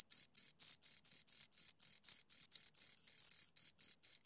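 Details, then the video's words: Close-up chirping of two crickets: crisp high scraping pulses, each burst lasting a fraction of a second, evenly spaced roughly four per second, clean background with nothing else audible. "Two Crickets Chirp Sounds for Two Hours Right on Your Ears"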